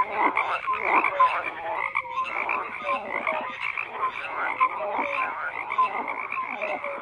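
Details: Continuous frog croaking from many animals, a buzzy layered chorus with scattered short tonal chirps.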